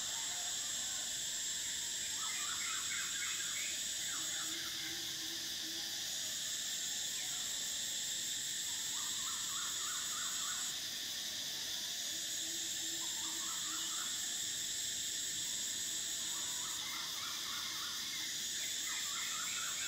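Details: Summer cicadas keep up a constant shrill whine for twenty seconds, the top band pausing and resuming about every six seconds, while clusters of fast, stacked chirps at lower pitch recur every few seconds.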